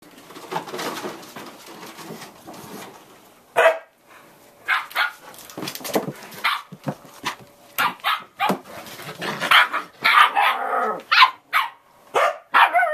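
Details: Four Samoyed puppies, eight and a half weeks old, out on a deck on November 2, 2014, after a rain deluge ended. Sharp, high yips and short barks come in irregular bursts, roughly one each second, some overlapping.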